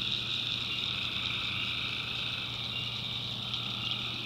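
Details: Night swamp chorus of tree frogs in backwoods North Carolina, an unbroken shrill trilling wall of many callers with a fainter lower buzzing layer beneath and a soft low hum throughout.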